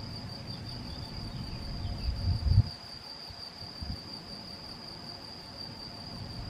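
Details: Male field cricket (Gryllus campestris) recorded on 7 May 2021 at Macieira da Maia, Vila do Conde, Portugal, with a Canon PowerShot SX70 HS: steady, unbroken high-pitched trill throughout, over low rumbling wind noise with a brief louder bump midway.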